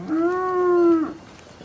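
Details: Cow mooing: a single steady, tonal moo lasting about one second, holding an even pitch with rich overtones before dropping away at the end, with a quiet background.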